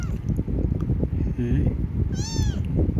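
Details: Domestic cat giving one short harmonic meow near the end, rising then falling, over steady low rumbling background noise and faint murmuring.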